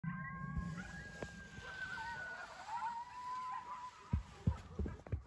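Coyotes howl in long, wavering high tones that slide and overlap, with low rumbling and thumps underneath.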